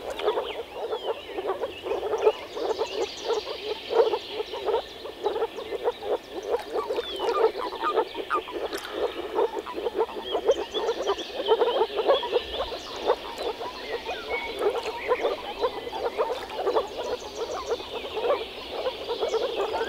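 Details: Dense, unbroken frog chorus recorded in the Czech Republic: countless low, knocking croaks overlapping throughout, with occasional louder peaks and faint higher rattling calls mixed in.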